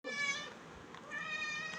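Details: Pet cat indoors giving one long, steady, drawn-out meow with a bright, even tone lasting nearly two seconds, while its owner speaks Tamil about its food being finished.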